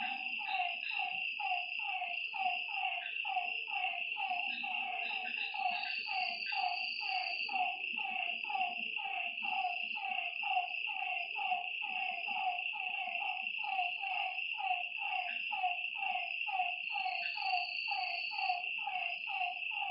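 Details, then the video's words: Frogs calling at night by a lake: a dense overlapping chorus of short, harmonic, downward-sliding notes repeated about once a second, over a steady high insect-like buzz and occasional brief higher whistles. "Lakeside night creatures and frog sounds"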